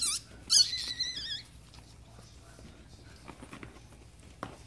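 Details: Yorkshire Terrier litter being born indoors in Michigan. A newborn puppy gives a sharp high squeal, then a longer wavering whine that bends up and down. Quiet room noise and faint soft taps follow.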